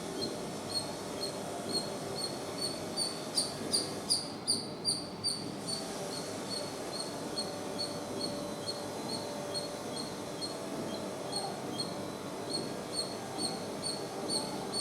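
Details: Squirrel chatter: short, high chirps repeated two to three times a second, with a denser, louder burst of calls in the middle, over a steady low rumbling background.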